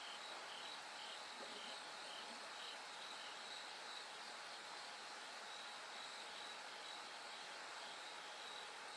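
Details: Bell cricket at night as light slowly returns, its crisp high bell-like pulses sounding in spaced runs over a steady background of massed insects and a faint continuous tone.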